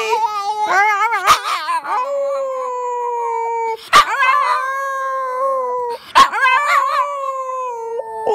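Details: A Schipperke enjoying a celebration howls in long, steady wavering notes, each opening with sharp yips and breaking off abruptly.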